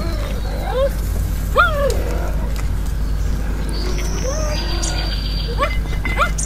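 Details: Cheetahs being fed by a man at a cheetah sanctuary park in Pretoria, South Africa. Short, bird-like chirps rise and fall in pitch, arriving in scattered pairs over several seconds, over low rumbling noise and faint voices.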